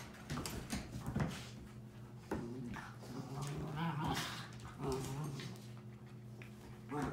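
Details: Two 7-month-old Miniature Schnauzer puppies, Sophie and Sally, fighting indoors: low rumbling growls broken by whiny yelps in short bursts, with scuffling, clicks and a steady electrical hum underneath.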